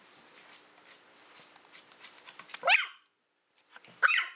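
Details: Female Toy Fox Terrier Willow, born April 2012, at play with a pig's ear: scratchy rustling and gnawing noises, then two abrupt high-pitched yaps separated by a short silence.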